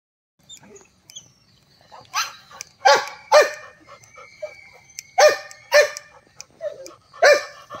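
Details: A Labrador Retriever puppy barking: short sharp barks in pairs and singles about every half second to two seconds, with softer yelps between and quiet background.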